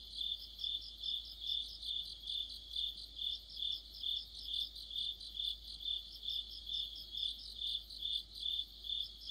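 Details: Autumn insect chorus led by crickets, their bright high-pitched chirps pulsing regularly about twice each second, a second softer singer layered underneath, otherwise quiet.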